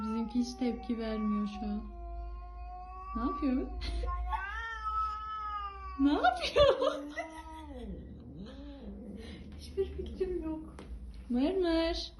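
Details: On their first meeting, a stray cat found on the street agitates the house cat; long wavering, moaning caterwauls with bending harmonics, broken by short sharp yowls and a human voice in the room.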